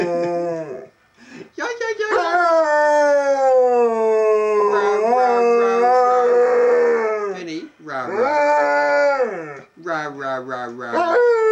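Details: Urged on by his owner in a quiet house, the pet dog Benny gives a sustained, wavering howl that slides down in pitch, breaks off, then returns in shorter rising and falling howls, like a Chewbacca impression.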